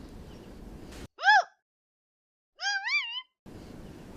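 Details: An angry desert rain frog gives two shrill, squeaky war-cries that sound like a dog toy, each a short wavering rising-and-falling squeal.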